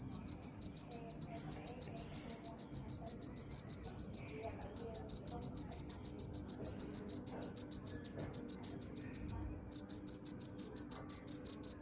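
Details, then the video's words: Cricket giving continuous high, pulsed chirps at a brisk, even pace of roughly three per second, broken only by one short gap near the nine-second mark, over a faint low background hum. "Cricket chirping | Crickets sound original | Video Crickets Chirping | សំលេងចង្រិតយំ | សត្វចង្រិតយំ"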